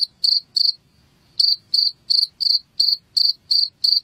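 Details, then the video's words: Cricket chirping, a recording meant to drive rats out of a house; sharp, high, ringing pulses come about three per second, with a short gap near the start. No other sounds are heard. "SUARA JANGKRIK Pengusir Tikus AMPUH UNTUK Mengusir TiKUS di Rumah"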